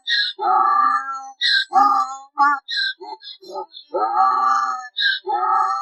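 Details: Mule giving a choppy series of harsh, tonal honks alternating with higher squeaky wheezes, irregular in length, with loud braying pulses and breathy gasps in quick succession.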